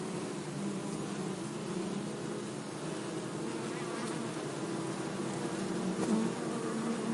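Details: Bees buzzing in a low, wavering drone that swells slightly toward the end, with a brief higher whine near the close.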